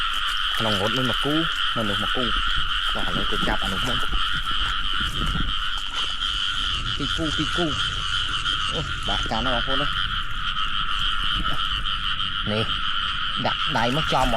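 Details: Frogs in rain-soaked rice fields croak in bursts of hoarse, stacked notes, some pulsing in quick runs, above a constant high-pitched chorus; a man speaks nearby as he catches them by hand.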